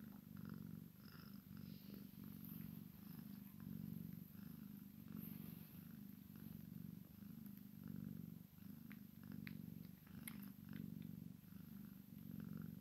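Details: Long rhythmic purring from a Maine Coon x Sphynx cat, a kitten at play with its mother, a deep rumble swelling with each breath, with a few faint clicks and taps.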